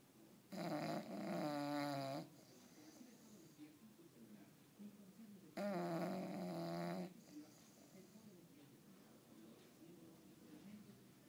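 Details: An English Bulldog taking a long nap snores loudly, each rasping, rattling breath lasting over a second.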